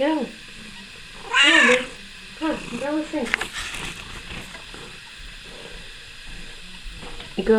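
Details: Kiki, a female pet cat riding on a person's shoulders, gives a few short wavering meows with rising and falling arcs early on, while a person coaxes and talks to her in the background.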